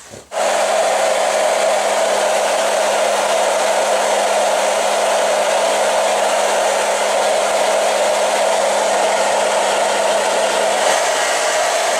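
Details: A hair dryer switches on after a short click and roars steadily for the rest of the recording, with a constant low hum beneath the airflow and no animal voice heard.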